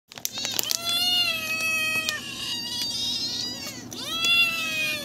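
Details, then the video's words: Hungry stray cats in a group meowing loudly; long harmonic-rich meows overlap, one drawn out about a second, another rising then holding steady, with short sharper cries between. "A pack of hungry cats."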